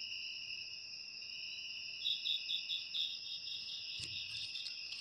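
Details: Cricket recorded for ASMR: a constant high, ringing electric-like trill holds throughout, joined midway by a short run of quick pulsed chirps, with one sharp click near the end.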